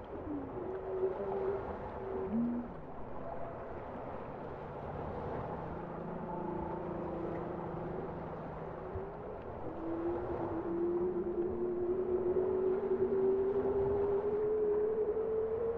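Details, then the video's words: Bowhead whale song of short low moans and a brief bent note early on, then a long, slowly rising whistle-like moan that climbs through the final six seconds over ocean hiss. "Bowhead whale songs for deep focus"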